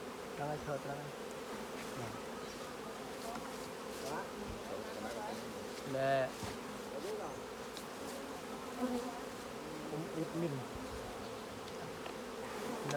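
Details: A busy honey bee colony drones continuously during a honey harvest by beekeepers. The hum stays dense and even throughout, with a brief squeaky rising sound near the middle and occasional soft thumps from hive work.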